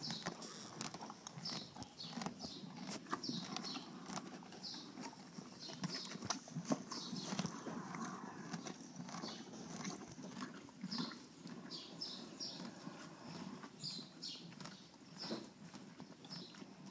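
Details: Off-track Thoroughbred mare foaled in 2006 with a severe roaring laryngeal problem, after more than four weeks of steroids and antibiotics; harsh, rasping breath noises repeat roughly once a second over a steady hoofbeat rhythm.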